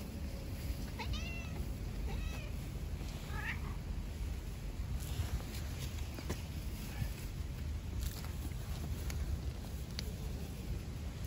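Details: Stray cats living outdoors, an aggressive ginger male attacking a female tricolor cat: three short, strained meows with rising-then-falling pitch in the first four seconds, then quiet, over steady low rumbling background noise and scattered clicks.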